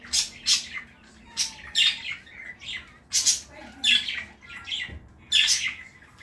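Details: London, a Chihuahua living with a family in Saratov, barks in high, brittle yelps, often in quick pairs, spaced unevenly over several seconds indoors.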